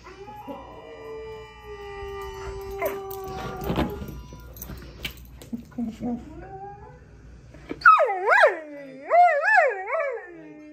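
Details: A domestic dog trying to talk with dogs on the screen while watching television gives warbling, rising-and-falling howls in the last few seconds, after a stretch of sustained tones and rustling from the show with faint speech.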